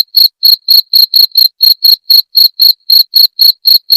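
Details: Repeated bright chirping of a jangkrik genggong cricket, presented for driving away rats, with quick evenly timed pulses near four per second, each one high, thin and ringing, in an otherwise silent setting.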